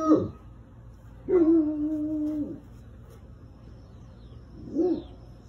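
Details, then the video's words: Bloodhound baying with its deep, musical voice: a short clipped bay, then a sustained level bay over a second long, and a brief softer bay at the end, against low steady background noise. "Bloodhound Barking Sounds - Bloodhound Sound Effects"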